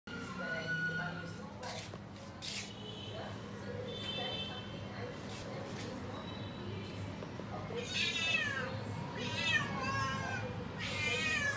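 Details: Cat waiting outside a door for food, giving a few drawn-out harmonic meows late in the passage, rising then falling, after quieter calls early on, over a low hum and some faint speech.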